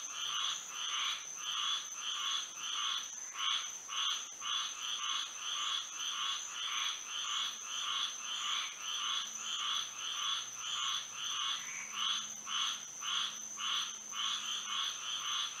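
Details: Frogs chorusing at night in Florida under moonlight: a dense, pulsing wall of croaks repeating nearly twice a second in two stacked bands, over a steady high insect-like whine throughout.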